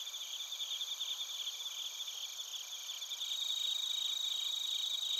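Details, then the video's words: Bell crickets and crickets calling together in Narita, Chiba, Japan, taped on a TASCAM Portacapture X8: rapid, ringing high chirps in layered rows, growing a little louder and denser in the final two seconds. "スズムシとコオロギの鳴き声 - Chirping of crickets"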